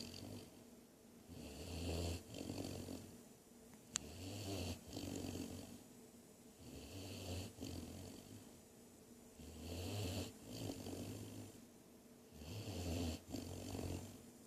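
A Great Dane puppy snores in deep, rumbling breaths repeating every two to three seconds.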